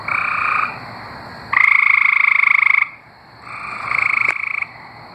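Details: Tree frogs in Arkansas sing with rapid pulsed trills in bursts of one to two seconds, with a bright, nasal tone.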